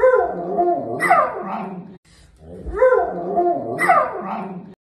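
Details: Samoyed dog giving a long, wavering, whining howl with rising and falling pitch, repeated twice with a short pause between.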